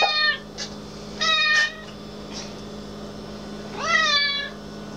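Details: Irina, a black cat, meowing: two clear harmonic meows, the first falling briefly at the start, the second rising then falling near the end, with soft clicks and rustles between them and a steady low hum behind.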